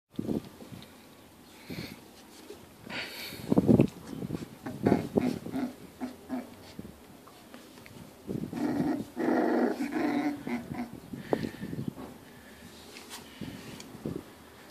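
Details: Pit bulls growling, a low rumbling growl running in bursts through the recording, with louder snarling peaks around the middle and later stretches, plus scattered bumps and scuffling indoors.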